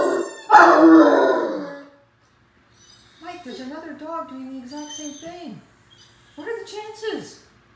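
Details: A 9-month-old male Great Dane playing with his ball howls at his reflection in a mirror: drawn-out, wavering howls that slide downward at the end, after a loud opening burst.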